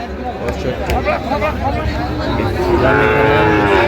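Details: Sahiwal bulls at a crowded cattle market in Comilla, Bangladesh, on 9 January. Late in the clip a long, drawn-out, harmonic moo swells and holds steady over constant chatter and bargaining voices from the crowd.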